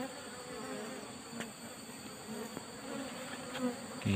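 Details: Asian honey bees at a wild nest among rock crevices, smoked before the nest is opened: a faint, low, steady buzzing hum with scattered taps and clicks throughout.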